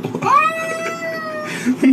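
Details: A domestic cat gives one long, steady meow that rises at the start, then holds level before fading, with faint human speech and room noise around it.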